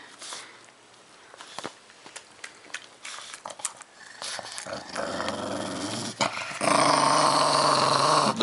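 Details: Pet pug growling menacingly while eating squash or pumpkin indoors; rough, pulsing growls under chewing noise, building into a louder harsh stretch near the end, with a woman talking and laughing.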